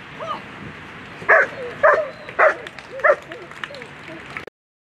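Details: German Shepherd named Django v schwarzen Düvel barking during a World Championship agility event: four sharp, loud barks about half a second apart, mixed with people talking in the background.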